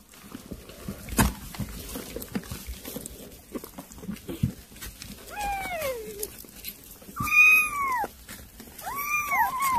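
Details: Kittens being fed weaning food give a few thin rising-and-falling meows in the second half, after quiet clicks and rustling at the start.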